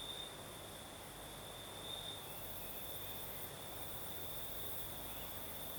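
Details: Crickets singing at night in the south of Crimea with a night breeze: a steady, high, unbroken trill holding one pitch, a fainter very high hiss above it, and a soft low rumble of breeze underneath.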